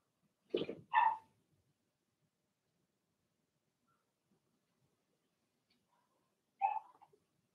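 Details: Blenheim Cavalier King Charles Spaniel puppies from a litter of six in their puppy pen: two sharp barks in quick succession, then a long pause before a single shorter bark, in an otherwise quiet room.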